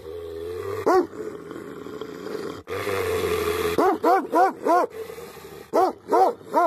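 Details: Tibetan Mastiff (Bhote Kukur) barking angrily: after a stretch of steady low hum and rushing noise, loud arched barks come in quick runs of three or four, one after another.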